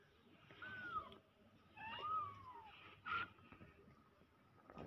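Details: Newborn domestic kittens giving thin, arching mews, three drawn-out calls about a second apart that rise then fall, against soft background rustling.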